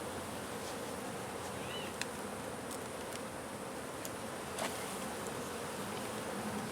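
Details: Honey bees swarming from a hive under a wood pile in McAllen, Texas, during hive removal: a dense, steady droning hum with no pauses, a few sharp clicks and one short chirp briefly rising above it.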